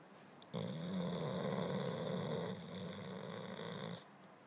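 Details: Loud snoring from Sasha the Boxer as she sleeps and dreams: a single drawn-out, grating, buzzy inhalation of about three and a half seconds, steady in pitch, then quiet.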